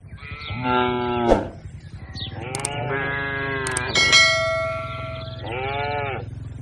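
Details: Tame cattle herd grazing on a wide green pasture: three drawn-out harmonic moos, each about a second long, with the later calls overlapping and slightly higher, against a steady low rumble.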